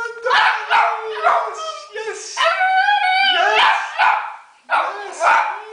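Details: Italian Greyhound Hunter singing at home: a run of wavering, drawn-out howls, one longer steady note near the middle, with a person chattering and urging him between calls.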